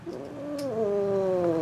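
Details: F2 Asian Leopard Cat hybrid named Missy, perched atop a refrigerator, lets out a single sustained, slightly falling meow lasting over a second, with a faint click at the start.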